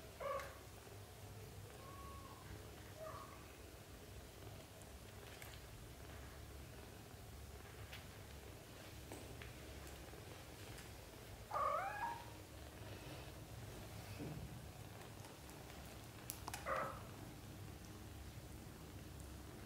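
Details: Young British Shorthair kittens, under a month old, from a litter of four, mew now and then: a few thin, brief cries at the start, one clearer mew near the middle, and another later, over a quiet, humming room.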